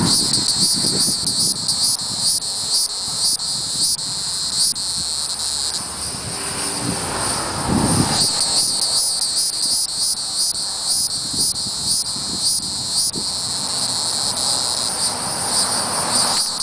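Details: A hieroglyphic cicada (Neocicada hieroglyphica hieroglyphica) calls with a high, sizzling buzz broken into rapid pulses, over a distant aircraft rumble.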